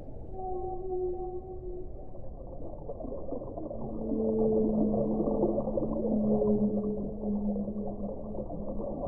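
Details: Whale song of several drawn-out tonal moans. Higher notes come first, then a louder, lower sustained wail that wavers slightly, all set against a murky, hissing underwater background.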